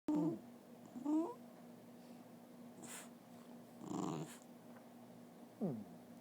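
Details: Dog trying to talk indoors, giving three short, quiet whining moans that bend up and down in pitch, spaced a few seconds apart, with a faint low hum and small rustles between them.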